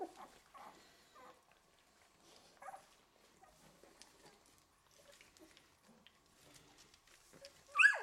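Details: Eleven-day-old Golden Retriever puppies in a litter give faint, thin squeaks and whines at intervals over a quiet background, ending in a sudden louder cry.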